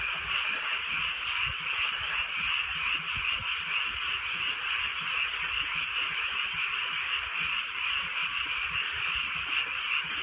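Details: Rural night under light drizzle, filled by a large frog chorus: countless overlapping croaks blend into a steady, pulsing, mid-high drone that never pauses, with a soft pattering of rain low in the background.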